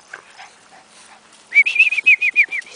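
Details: Bulldog whining in a quick series of high, slightly rising-falling whimpers, about ten short notes in one second, after faint scuffling and quiet sounds.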